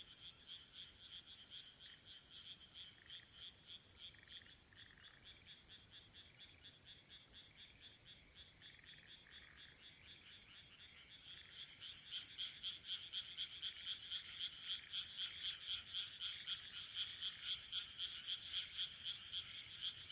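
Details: Frogs calling from rice paddies in Taihaku Ward, Sendai, Japan, in late June 2023: a dense chorus of rapid, regular pulsed croaks at roughly four per second, growing louder and fuller after about eleven seconds.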